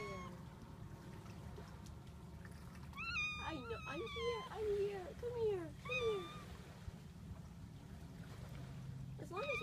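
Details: A kitten at the seashore, meeting the ocean for the first time, meows repeatedly in wavering, slurred cries while a person talks soothingly to it. Constant wash of surf fills the background.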